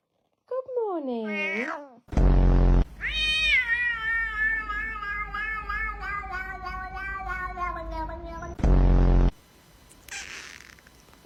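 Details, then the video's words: Domestic cat making a strange sound: a falling whine, then a long, loud, strained yowling meow lasting about five seconds that slowly drops in pitch, broken by bursts of loud clipped noise; a person speaks faintly afterwards. "The strange sound of a cat"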